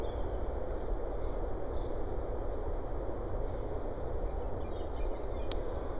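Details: Steady low rumbling noise, like a distant vehicle or wind, with no animal voice.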